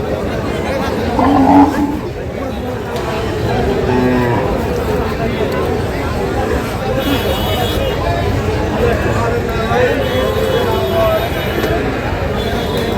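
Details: Native-breed dairy cattle with calves at the Saturday Kaharol livestock market, Dinajpur, on 19 July 2025; a short, low moo rises briefly near the start amid steady crowd chatter and bargaining voices.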